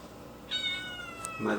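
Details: Kitten meowing indoors because it wants to climb onto the fridge; one sustained, slightly falling meow, ending in a soft bump.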